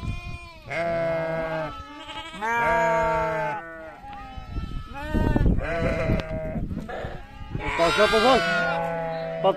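Sheep bleat repeatedly, each call a quavering, nasal baa lasting about a second.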